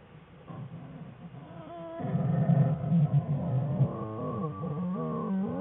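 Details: Den of American black bear Jewel and her cubs Fern and Herbie on February 21, 2013, as the cubs play: soft murmur, then loud sustained harmonic crying with stepped pitch changes and deep grumbling underneath.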